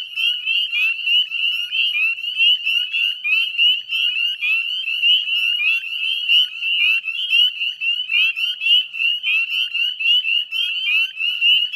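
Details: Northern spring peeper chorus recorded at dusk, 9:08 p.m. on 18 May 2020, along the salt marsh at Chezzetcook, Nova Scotia, Canada; rapid high peeps, roughly two per second from close callers, over a steady shimmering mass of distant frogs.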